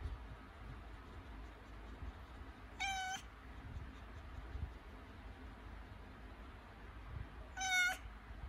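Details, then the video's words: Pregnant cat in labour, having contractions before giving birth: two short, high, harmonic meows about five seconds apart, each under half a second, over a hushed indoor background. "Схватки перед родами у кошки 😱 / A cat is having contractions 😱"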